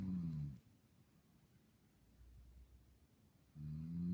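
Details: A sleeping, dreaming dog snores: a low, rough, droning snore in the first half second, near-silence for about three seconds, then another low snore rising again at the end.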